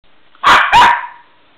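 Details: West Highland White Terrier gives two quick, sharp barks close together, the second trailing into a short whine-like tone, in a quiet room.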